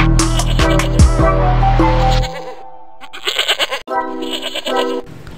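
A goat's wavering, nasal bleat sounds over background music, followed by a voice speaking.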